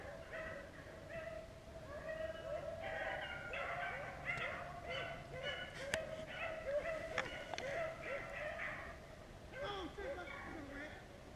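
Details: A pack of beagles chasing rabbits on a hunt near Vera, Virginia, giving a steady overlapping chorus of baying. Many dogs call at once in continuous, wavering, ringing notes, with a few sharp cracks and a brief break near the end.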